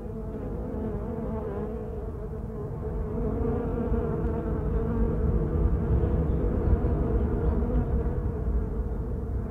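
Honey bees hum in a steady, low, droning buzz that never breaks and swells slightly louder halfway through, like the busy drone of many wings together.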